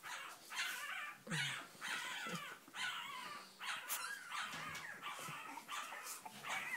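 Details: Young Cavalier King Charles Spaniels, the Sarlat and Chloé litter born 7 April 2014 in Spain, wanting out; drawn-out rising whines repeated roughly every second, several pups overlapping.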